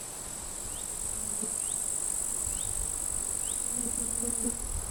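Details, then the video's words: Grasshoppers crackling in completely withered grass at a forest edge on a sunny summer day in late July; a constant high hiss with faint short rising chirps repeating about once a second and wind beneath. "Wind noise and grasshoppers crackling"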